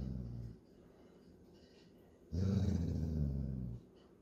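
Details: A Golden Retriever father gives his puppy daughter a deep, rumbling growl lasting over a second, warning her that playtime is over.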